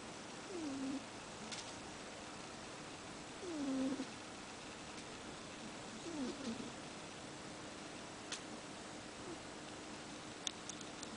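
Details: Domestic cat asleep with its tongue out, tired after catch-ball practice, snoring: soft whistled tones gliding downward, one with each breath roughly every three seconds, in a quiet indoor room with faint occasional clicks.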